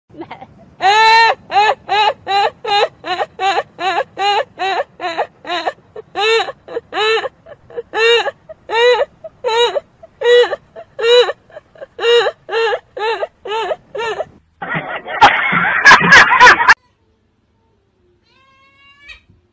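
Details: Cat, from a compilation of funny pets, giving a long run of about two dozen plaintive, arching meows, each short and evenly spaced, ending in a burst of harsh noise followed by quiet.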